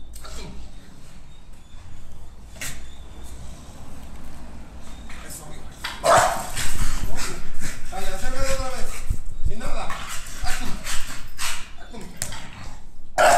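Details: Nine-month-old female American Bully Pocket in protection dog training, giving loud, harsh barks in short bursts, several clustered near the middle and one at the end, over a man's voice and the scuffling noise of training.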